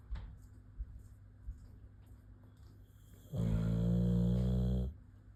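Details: Boxer dog asleep and snoring in a small room: after a few seconds of quiet breathing and small clicks, a single loud, deep, rasping snore of about one and a half seconds.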